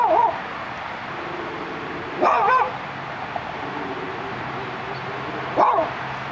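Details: Dachshund looking out through a gate amid Los Angeles city sounds, giving short sharp barks: one at the start, another just after two seconds, a third near five and a half seconds, over steady traffic hum.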